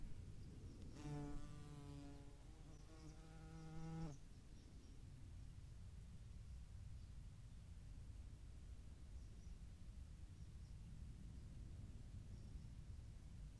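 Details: European hornets visiting a feeding site alongside median wasps at Dohr in the Eifel, 11 July 2022; a low, droning wingbeat buzz with rich harmonics lasts about three seconds, then fades to quiet rustling background.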